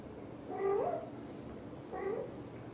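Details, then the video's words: Mother cat, a British Shorthair, talking to her kittens with two soft, short, murmured meows about one and a half seconds apart, the first slightly longer and rising, in a quiet setting. "The sound of the mother cat talking to her kittens is so sweet"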